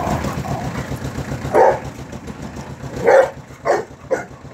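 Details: An angry dog lets out four gruff barks, the last three coming quickly within about a second, while a vehicle engine drones underneath.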